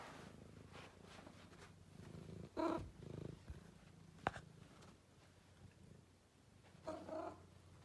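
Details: Kiwi, a domestic cat, purring with a steady low rumble throughout, broken by a few short soft chirps or trills and one sharp click; quiet indoor setting.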